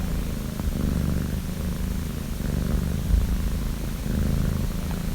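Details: A sleeping female domestic cat snores, a steady low rumble of breathing that continues without a break, with a few faint clicks above it.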